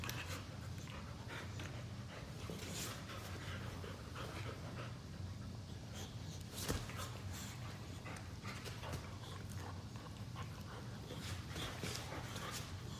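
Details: Indoors on a couch, two pet Boxers wrestle in lazy play after a chasing session, giving rhythmic heavy panting and short breathy snorts over a continuous low rumble, with one sharp knock midway and fabric rustling.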